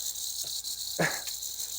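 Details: Eastern diamondback rattlesnake rattling during handling, loud enough to compete with talking; a constant high buzzing hiss broken by a brief thump near the middle.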